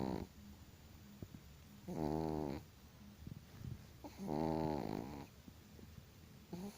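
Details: Chihuahua dog snoring loudly: two long buzzy, vibrating snores of about two-thirds of a second each, spaced roughly two seconds apart, with faint short snuffles between them.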